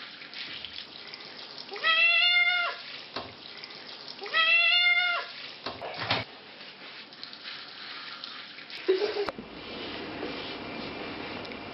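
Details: Cat with fleas being washed; two drawn-out, complaining meows about two and a half seconds apart, each steady and harmonic-rich, followed by splashing water and running tap noise.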